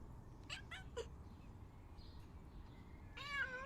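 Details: House cat calling to be let out: a few soft clicks and taps early on, then one short, clear, level meow at the end over a faint low background hum.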